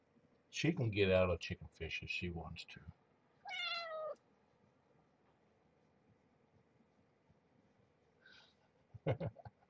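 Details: Marge, a formerly pregnant stray mother cat cared for at Purrfect Pals, with her growing kittens at morning feeding time; a single drawn-out, harmonic-rich meow follows a stretch of human talk, with a few soft clicks and rustles afterward in a small room.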